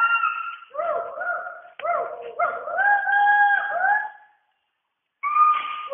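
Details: Western hoolock gibbons call from the rainforest canopy in Dampa Tiger Reserve, Mizoram, India, in loud, tonal whoops that slide up and down in quick runs.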